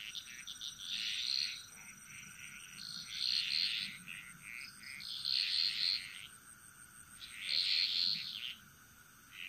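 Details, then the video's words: Frog chorus echoing through a Bali jungle: four distinct swells of crackling, high rasping calls separated by quieter gaps, with a constant thin high-pitched drone. "Frog Mantras - Relaxing Sounds Of Bali"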